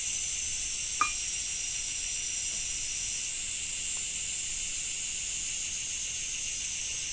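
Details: Japanese summer cicada chorus in rainy weather: a continuous buzzing high-pitched hiss that brightens slightly midway, with a single sharp knock early on.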